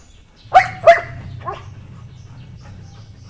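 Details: Puppy barks from White German Shepherd puppies, two loud high-pitched yaps close together followed by a fainter third bark, then a low steady background hum.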